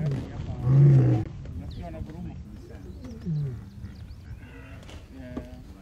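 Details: Resident male lion in the Masai Mara restores order to his pride after a scuffle at a kill, where an older lioness chased a young lion away. A deep, loud roar-like burst lasts about half a second, followed by quieter low grunts and growls.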